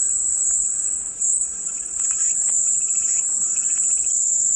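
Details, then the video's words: Continuous shrill cicada drone held at one high pitch throughout, briefly dipping in loudness around the first second, over faint scattered chirping and ticking sounds, presented as soothing white noise. "백색소음 마음이 평온해지는 매미소리"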